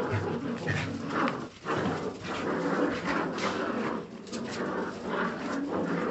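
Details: Jagdterrier puppies give a noisy stream of rough growls and yips, with a brief dip in loudness mid-way before the scuffling chorus resumes.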